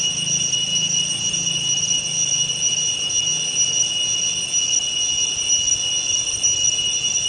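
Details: Loud cicada singing around dawn or dusk, a continuous high metallic whine that never breaks or changes pitch, layered over a faint low rumble in the background.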